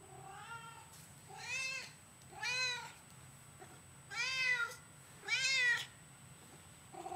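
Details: Talkative female house cat replying with a string of meows: five drawn-out, rising-then-falling meows spaced about a second apart, the last starting right at the end, over a quiet low hum.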